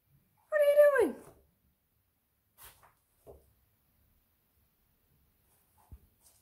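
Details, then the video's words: Whippet puppy Odin, indoors, playing excitedly with a flat cardboard IKEA box he prefers to his toys; one high, tonal whine that slides downward over about half a second, then near silence with a few soft taps and knocks. "A whippet puppy having a blast with an IKEA box"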